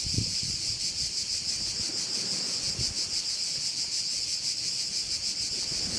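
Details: Bay on the island of Korčula, Croatia, filled with a dense, unbroken high buzzing of crickets that throbs rapidly, over light wind and rustling low noise.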